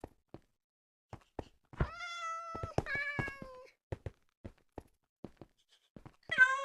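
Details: Cat meowing to other cats indoors: several long, level meows with steady harmonics, the last one sharper and louder, among scattered knocks and thumps.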